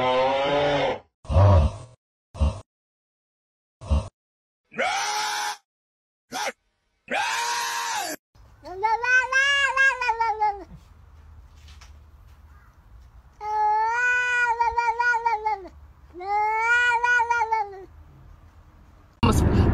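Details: Domestic cat giving long, drawn-out wailing meows, each sustained for two to three seconds with a rising then falling arch. The calls are preceded by short bursts of human speech and noise, with a low hum between calls.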